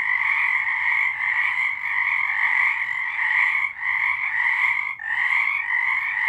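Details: Night frog chorus recorded in March 2023: many callers trilling together in an unbroken, pulsing wall of sound, with short gaps near the four- and five-second marks.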